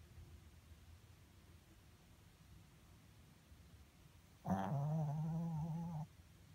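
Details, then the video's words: Miku the Pomeranian snores in her sleep. After a quiet stretch, a single loud, steady, low groaning snore rises suddenly, holds for about a second and a half, then cuts off. "Dog Snoring While Sleeping"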